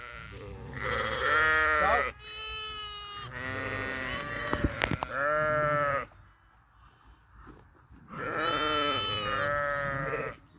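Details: Sheep out grazing give loud, quavering bleats in close succession, two long runs of overlapping calls broken by a pause, with a short clatter in the middle and faint background murmur.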